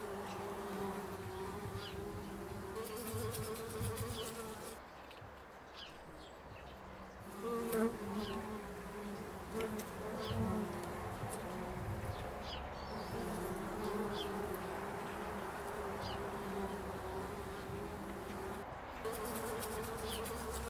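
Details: Bumblebees around foxgloves in an English country garden, pollinating flowers; a sustained low buzzing drone that drops away briefly then returns, changing pitch as bees approach and leave, with occasional soft clicks and rustles.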